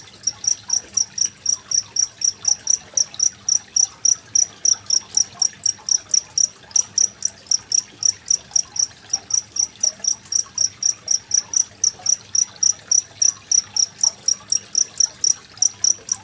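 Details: Cricket call used as a training track for competition songbirds like magpie-robins, recorded 25 February 2023: a relentless run of high, clipped chirps near four per second, with water trickling softly in the background.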